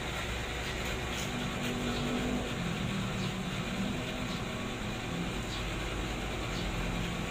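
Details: A steady low indoor hum, like an engine or air conditioner, fills the recording, with faint tonal droning and no animal sounds.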